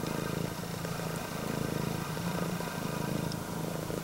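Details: Kinyako, a female red tabby and white prick-eared Scottish Fold cat born in 2020, purring loudly like an engine while greeting her owner at home; a low, steady rumbling throb with rapid regular pulses and faint background hiss.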